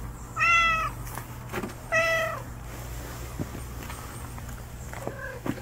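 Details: Street cat hiding and waiting for a chance to eat, giving two clear flat meows about one and a half seconds apart, then a faint short mew near the end, over a steady low hum and light outdoor clatter.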